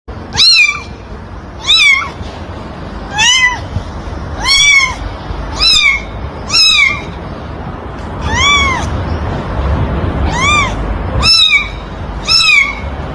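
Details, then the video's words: Kitten meowing in a steady series of about ten high, arched mews, each rising then falling with bright harmonics, spaced roughly one to one and a half seconds apart over a constant low background hiss. "Cutie Pie Cat meowing sound effects | Baby Cat Meowing | Kitten Sound"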